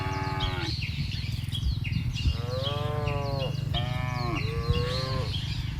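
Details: Cows in a field give wavering, stacked moos over a steady low rumbling hum, with bird chirps scattered throughout.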